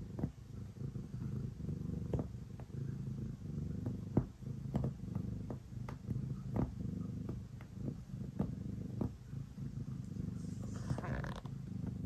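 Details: Domestic cat purring while kneading before bedtime indoors: a steady low rumbling purr with a pulsing texture, broken by soft clicks and taps from kneading paws, plus a brief faint rustle near the end.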